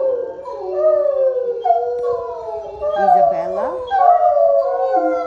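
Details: Otterhounds in a group singing session: multiple dogs howl at once, drawn-out bending tones weaving over each other, with a brief warbling yodel-like passage near the middle before the chorus swells again.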